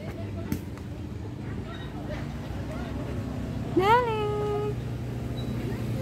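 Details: Domestic cat named Tori, at a playground for the first time, lets out a single clear rising-then-level meow near the fourth second, rich in harmonics, over a steady low traffic-like rumble.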